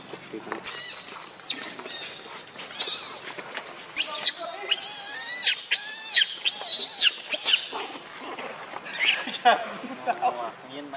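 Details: Monkey, with Lucie shown jealous of Rainbow over their mother's affection: shrill, high squealing cries in short arched bursts, rising and falling, repeated irregularly through the stretch, some overlapping, amid lower murmuring sounds.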